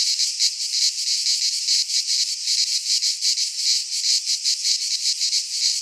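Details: Cicada song from Greek pine woods in midsummer, a loud electric-sounding buzz with somewhat uneven throbbing, about two to three surges a second, continuous from start to finish and heard alone.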